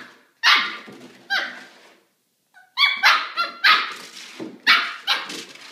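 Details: A Maltipoo puppy named Kramer barks loudly indoors at a milk jug he is playing with and does not like. Harsh, high barks come in two separate barks, then a dense run of about five.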